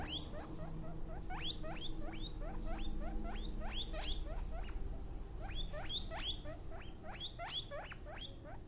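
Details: Baby guinea pig, newborn, giving fast, high-pitched, upward-sweeping squeaks, roughly three per second in uneven rhythm, with low rumbling noise underneath.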